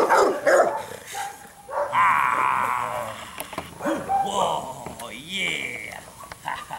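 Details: A Rottweiler puppy in agitation training with a puppy sleeve gives excited, choppy barks and yelps, with a person's voice urging it on.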